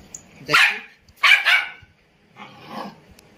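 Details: Indian Spitz dog barking: two sharp, loud barks half a second apart, then a softer, lower bark after a pause. A person speaks Hindi just before.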